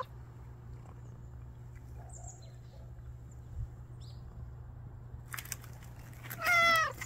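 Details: Stray cat secretly hiding while it waits for a chance to eat. After a long quiet stretch there is a rustling burst, then one short, bright meow near the end. A low hum runs throughout.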